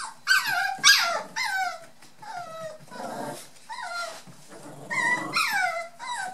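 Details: Brown and one black dwarf-toy poodle puppies, nearly 8 weeks old, from Sasha's second litter, playing with the white toy poodle Meghan; high-pitched falling whines and yips, repeated roughly every half second, with a short rough growly burst midway.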